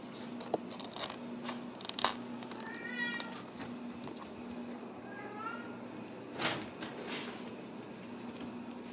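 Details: Two high, slightly quavering meows about two seconds apart from Ragdoll kittens born and raised in a central Kansas home cattery, over a constant low electrical hum with scattered taps and thumps.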